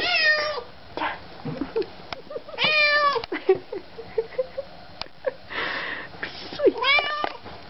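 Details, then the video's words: Cat seeing its owners again, with a few sharp falling meows separated by pauses, while a woman speaks softly and affectionately to it. "Katzen sehen ihre Besitzer wieder und freuen sich, Cat see their owners again and look forward"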